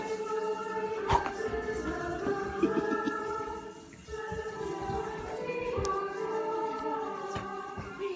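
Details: Choir-like music with sustained harmonic singing tones dominates throughout, with a few sharp clicks and no animal voice.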